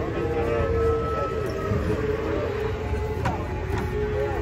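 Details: Loud talking voices blend with a rumbling engine and a wavering tonal drone, with no animal call heard.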